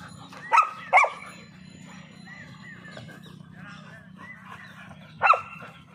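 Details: Puppies of German Shepherd, Labrador and Rottweiler breeds fighting at play. Two sharp, loud barks or yips come close together near the start, then a low steady hum with faint murmuring voices, and another sharp bark near the end.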